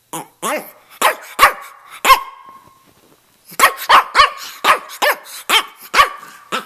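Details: Red, rough-coated male Brussels Griffon, about two and a half years old, in Miami, 'talking' with quick, sharp yips and half-barks in two bursts separated by a short pause.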